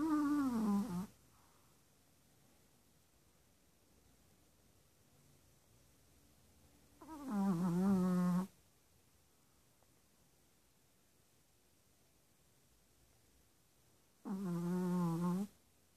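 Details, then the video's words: A sleeping six-month-old Chihuahua, newly adopted from a shelter, snores. Three separate whiny, humming breaths, each about a second long, come roughly every seven seconds with near silence between them. "Chihuahua - Snoring!"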